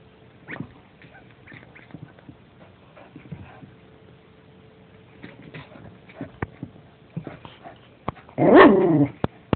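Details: A dog gives a single loud, harmonic-rich bark near the end, after several seconds of faint clicks and rustling.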